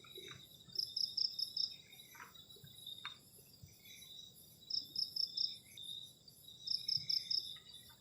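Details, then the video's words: Crickets on a cold night beside a garden shelter at the edge of a forest during solo camping: steady high-pitched insect trills layered in several bands, with brief pulsed chirp bursts recurring every couple of seconds over faint low rumbling and occasional clicks. "ENJOYING THE SOUND OF CRICKETS ON A COLD NIGHT"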